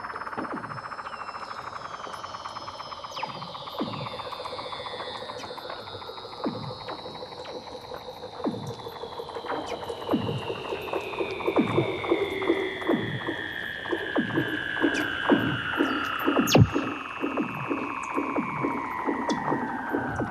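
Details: Weddell seals recorded underwater by hydrophone lowered through 2 m of fast ice near Big Razorback Island, Antarctica, in breeding season: long whistles sliding steadily downward, layered over rapid falling chirps repeating about twice a second, eerily electronic in tone.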